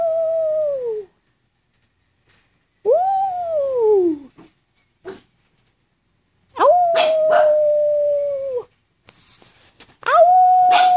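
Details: Black pug howling with some encouragement, giving four long tonal howls: a falling wail, an arching one, a steady drawn-out howl of about two seconds with noisy bursts over it, then another steady howl beginning near the end, separated by silence.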